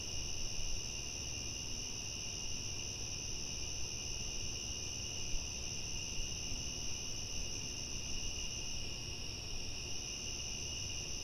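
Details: Crickets at night, a dense chorus forming a steady, unbroken high trill with two even pitch bands and no pauses, over a constant low rumble of background noise.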